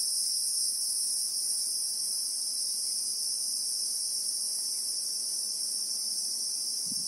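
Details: Steady, shrill ringing of Christmas beetles (Anoplognathus) in South African bushveld with acacias, real time: two bright high-pitched bands hold without a break, and a soft low thump comes right at the end.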